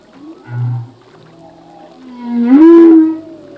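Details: Song unit of a male humpback whale: a brief low grunt, then a long rising moan that swells into a loud, bright, harmonic-rich cry, with soft tonal tails trailing off.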